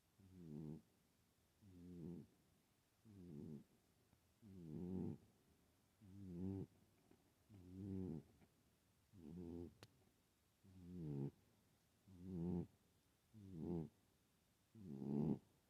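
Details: Sleeping female pet cat, known to snore but unusually loud here: eleven steady, rattling, low buzzy snores, one roughly every one and a half seconds, each short and rasping, with near silence between.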